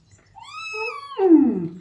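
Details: Rescued male kitten complaining with a meow during his first bath indoors: a single drawn-out harmonic meow that holds steady, then drops into a louder, lower, rougher tail.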